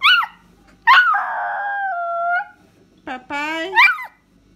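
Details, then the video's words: Pet dog calling its owner in a run of talkative vocalizations: a short arched yelp, a long wavering tonal howl, then a rising whine and a final pitched yowl. "Cachorro chamando o papai"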